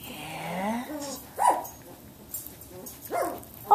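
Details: Samoyed puppies, 17 days old, from Athena's litter, indoors learning to play with each other; short high squeaky yelps and whimpers in a few bursts, with a soft woman's voice at the start.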